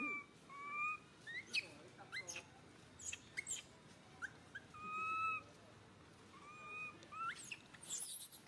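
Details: Baby monkey SUCA crying out loudly in pain after being grabbed by SUSAN: high, thin, drawn-out tonal wails, some level and some rising or falling, come in bursts across eight seconds, mixed with sharp clicks and rustling handling noise.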